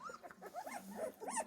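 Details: Central Asian Shepherd Dog puppies whining at their first feeding, a run of thin, rising and falling squeals over a busy, noisy background.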